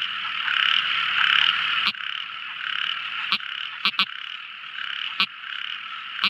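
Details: Night-time frog sounds from a tiny frog: a dense, continuous high buzzing chorus that swells and fades. A few sharp, isolated clicking croaks stand out about once every second or two.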